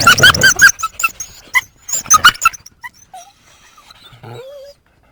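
A coyote gives harsh, high yips in two quick bursts, then thin squeaks and a rising whine.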